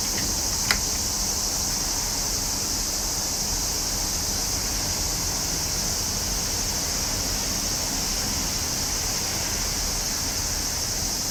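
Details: Summer cicadas fill the air with a steady, unbroken hiss concentrated in a high band, with no pauses throughout; a single sharp click sounds near the start, over faint low background rumble.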